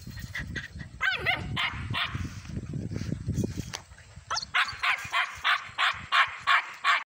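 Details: Dark sable German Shepherd puppy outdoors, rumbling and scuffling at first, then a steady series of loud, high-pitched barks about three per second over the last two and a half seconds.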